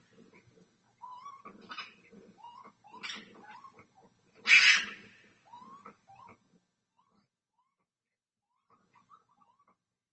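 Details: Red fox (Vulpes vulpes) caught overnight on a doorbell camera in Minnesota gives short rising yelps and one harsh, raspy scream, then falls quiet; identified by research and AI, not confirmed.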